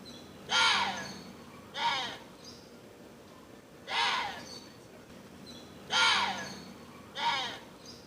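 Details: Water deer giving loud, harsh, raspy screams, each about half a second long with a rough arching tone, five calls spaced one to two seconds apart over a quiet background.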